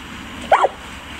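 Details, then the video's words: Zeus, a St. Bernard, lets out one short, mid-pitched bark while having fun; steady faint background noise. "Bernhardiner Zeus hat Spaß"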